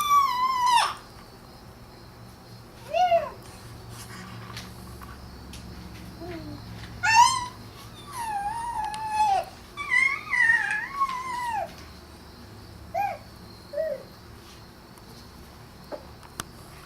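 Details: Pet cat Izzy meows inside a small room: short chirp-like calls and longer wavering meows come in uneven bursts, separated by silent gaps and faint household hum.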